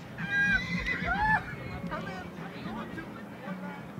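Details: Tennessee Walking Horses being unloaded by young trail riders arriving at the 2022 NWO trail ride in Douglassville; a loud wavering whinny falls in pitch over about a second, with people talking and hooves clopping nearby.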